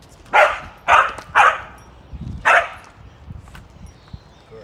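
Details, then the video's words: A dog barks during heel training as an Australian Shepherd named Ollie is walked around it: three sharp, loud barks about half a second apart, a pause, then a fourth, over a low, quiet background hum. "heel around barking dog"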